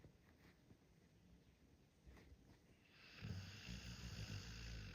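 A sleeping Pit Bull snores in low, rumbling breaths that grow louder toward the end.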